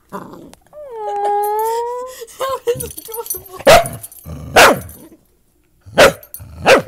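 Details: Dachshund puppy barking for the first time indoors while playing with a big mixed-breed dog that teaches it to bark; a drawn-out whining tone opens, then four sharp yapping barks at uneven intervals, with faint voices.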